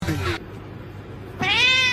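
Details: A domestic cat gives two short meows, the second a clear harmonic-rich cry rising then falling, separated by a second of quiet room noise.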